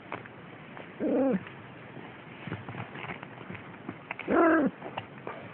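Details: Siamese kittens, almost six weeks old, play-fighting and biting on 6 December 2011: two brief arched meows about three seconds apart, with light scratching and scuffling between them.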